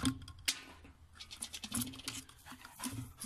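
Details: Scratching, light patter and a low hum indoors, with no animal voice.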